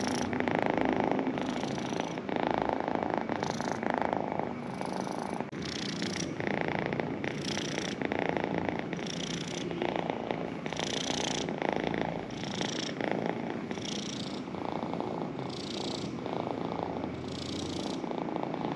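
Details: Sustained purr of a pet cat, a buzzy low drone pulsing with its breathing, each swell lasting about a second, heard up close and without other noise.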